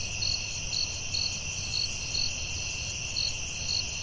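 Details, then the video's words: Night-time forest crickets, a steady high-pitched ringing drone with short, sharp chirps pulsing roughly twice per second over soft low background noise. "Soothing Cricket🦗 Sounds at Night"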